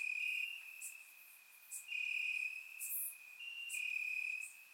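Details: Crickets chirping in grass on a warm summer night in Bulgaria, recorded with a surround microphone: steady high trilled bands in overlapping trains about a second long, several insects alternating, with faint higher clicks above.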